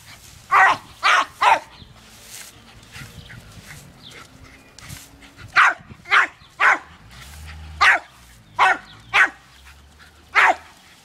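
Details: Jack Russell Terrier named Dumpy, excited while playing with spray from a garden hose, gives loud sharp barks in quick runs of two or three, pausing between runs, over a soft background hiss of water.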